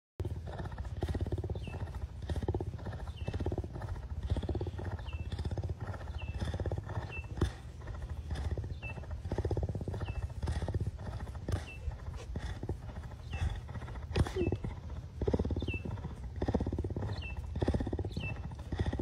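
A cougar purrs in a steady, deep rumble that carries on without a break.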